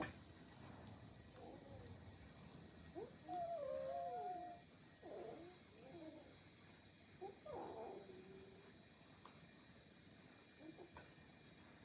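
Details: A kitten scuffling with its grown brothers among domestic cats: uneven, strained yowls and growling moans, one longer bending wail in the middle, then rougher bursts, with a constant low hum and hiss behind.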